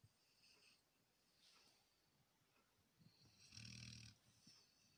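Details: A Labrador Retriever snores softly while asleep: faint hissing breaths, then one louder rasping snore about three and a half seconds in.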